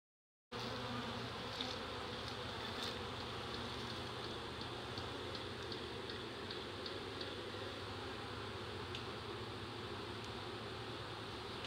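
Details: Honey bee swarm of nearly 7 lbs, an early-season reproductive swarm taken in Dale County, Alabama: after a brief silent start, a steady, unbroken droning buzz, with faint light ticks near the start.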